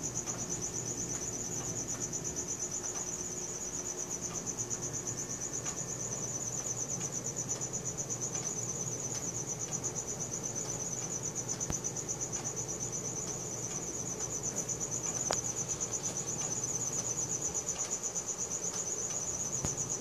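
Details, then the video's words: Cricket chirping at night, recorded on a Samsung Galaxy S4: a continuous high, rapidly pulsed tone that stays even throughout, with soft low hum and an occasional click beneath. "CRICKET SOUNDS | RELAXING SOUNDS OF NATURE AT NIGHT"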